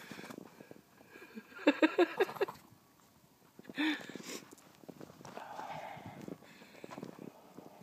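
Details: Pekingese puppy playing outdoors in the snow gives a quick run of short, high, yelping barks. One more brief yelp follows shortly after, over crunching footsteps in snow and a person calling the dog.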